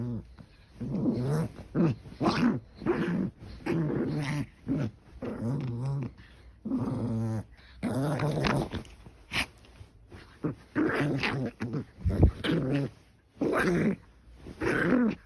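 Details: Elderly pet dog indoors growling in low rumbling bursts, on and off across the recording, with a person's voice speaking in between.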